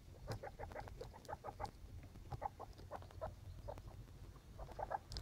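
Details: Young skinny pigs in a litter making quick, clipped squeaks in loose clusters, some doubled, against a steady low hum.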